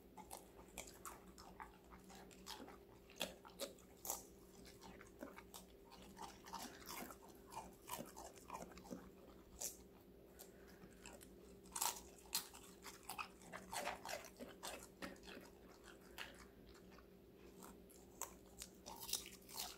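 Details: Five-month-old female Golden Retriever crunches and chews various raw vegetables in sharp, irregular crisp bites.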